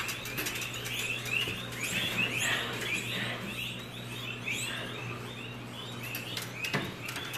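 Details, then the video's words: Captive Arctic foxes kept at a school, held temporarily in a small indoor room after an air-conditioner breakdown. They give a rapid, uneven run of high, arched whining yelps, nearly three per second, over a steady low electrical hum. "북극여우 울음소리"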